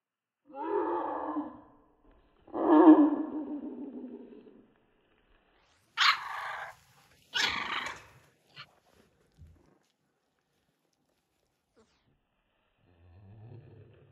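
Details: American Bully puppies, three weeks old, from the King Clyde x Dynasty litter in 2022: two long, rough, grumbling growls, then two short high-pitched yelps, and a faint low murmur near the end after a pause.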